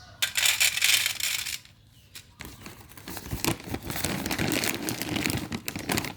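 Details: Loud crinkling and tearing of paper or plastic indoors, with a brief quiet gap, and no animal call.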